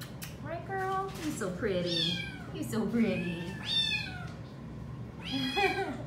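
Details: A female Domestic Shorthair shelter cat up for adoption, recorded on 15 October 2020, repeats bending, whiny meows with bright overtones, about four in six seconds, while a woman chats affectionately to her in a small room.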